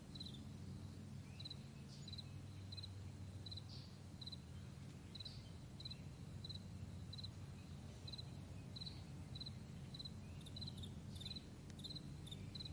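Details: Morning meadow crickets chirping with brief high pulsed bursts at a brisk, fairly even pace, with a few softer callers behind and a continuous low droning hum underneath.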